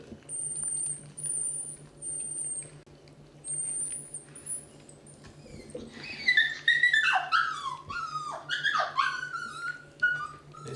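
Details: Eighteen-day-old Basset Hound puppies, a litter of 11, indoors at their first feeding of solid food; from midway, a cluster of high, wavering whimpers and squeals overlapping in quick succession, with a steady low electrical hum underneath.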